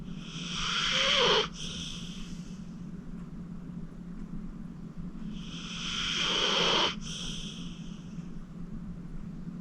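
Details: Deep-sleeping senior pit bull Acorn, 14 years old, rescued from the Cuyahoga County Animal Shelter, snoring: two wheezy, rasping breaths build and end abruptly about five seconds apart, a faint steady hum between them.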